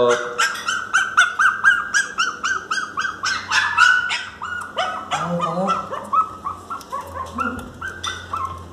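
A Miniature Pinscher cries loudly in rapid, high, wavering whines, pleading to be let inside.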